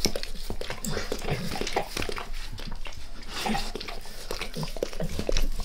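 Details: Max the dog keeps licking his owner's face in a small room, a steady stream of wet, squelching tongue sounds and soft clicks with a low rumbling undertone, no speech.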